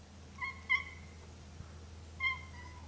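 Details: Domestic cats Pepi and Jazzy at their first face-to-face meeting after two weeks of scent introduction, Jazzy newly adopted as company for resident Pepi; three short, high, clear meows, two close together then one after a pause, over a low steady hum.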